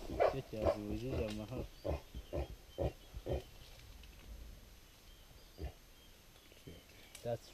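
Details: Mountain gorillas tracked in Volcanoes National Park, Rwanda, give deep, wavering excited calls, then a run of short, hollow grunts about twice a second, with human voices murmuring nearby.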